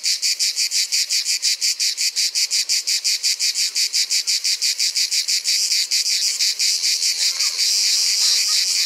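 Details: A male manna ash cicada, the Provençal cicada, sings to attract a female: a fast series of harsh, rasping pulses, about three each second.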